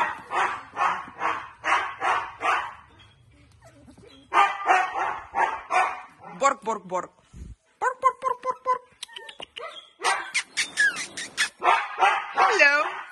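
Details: Siberian Husky puppies in a basket: a person talks in the first half, then the puppies give high, wavering whines and short yelps. Tonal calls repeat in short bursts, with more squeaky whimpers toward the end.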